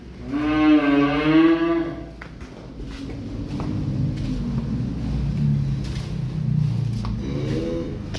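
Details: Cattle from a fresh arrival of calves and adult cows: a loud wavering moo opens for about two seconds, then low grumbling, knocks and clatter, and a second shorter moo near the end.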